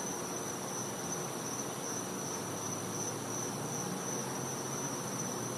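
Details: High, unwavering whine of cicadas at night in a Floridian back yard in winter, continuous for the whole stretch, over a constant hissing insect background.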